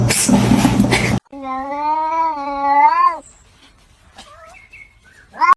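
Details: Cat giving one long drawn-out meow of about two seconds, steady in pitch and then bending slightly upward before stopping, after a burst of loud music and talk; a short rising call follows near the end.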